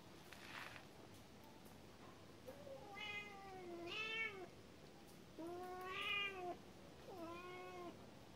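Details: Cat meowing four times, each call a long rising then falling harmonic wail about a second long, spaced a second or two apart over steady background hiss.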